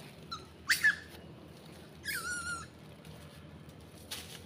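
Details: Southern pig-tailed macaque giving two short, high harmonic squeals, the second a longer wavering cry that slides downward, over a low steady background hum.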